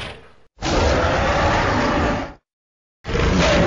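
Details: Hippopotamus (Hippopotamus amphibius), grunting call.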